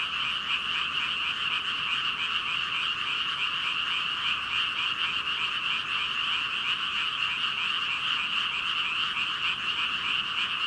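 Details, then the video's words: Frogs by the thousands, around 5,000, croak in one continuous, seething chorus, recorded with a Rode VideoMicro; the sound stays bright, dense and even throughout, a shimmering mass of ribbits with no gaps. "개구리 수천마리 개굴개굴 울음소리"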